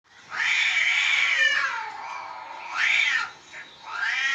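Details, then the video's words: House cats frightened while outside cats fight; loud drawn-out wailing caterwauls, rising and falling, one long howl then shorter wavering cries, with steady background hiss. "বাহিরের বিড়ালের ঝগড়ায় ঘরের বিড়ালদের ভয়ের দৃশ্য"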